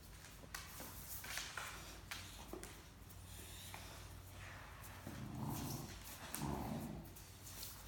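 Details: Great Dane puppy Mikey grumbles and growls indoors while playing with adult Great Dane Ellie over a shared stuffed toy; low rough growling bursts swell near the end, with rustling and a steady background hum.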